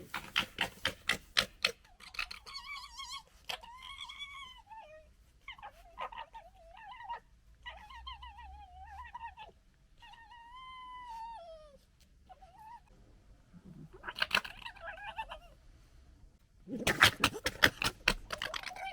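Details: Gekkering foxes squabbling over pecking order, recorded in 2021: bursts of rapid rattling clicks open and close the sequence, with wavering, whining nasal calls in between that rise and fall.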